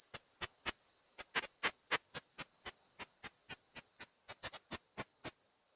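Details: Unzen sasakirimodoki katydid, a Japanese species whose call is ultrasonic, made audible by a bat detector: brisk clicks in loose groups, some paired, stopping shortly before the end, above a constant high tone.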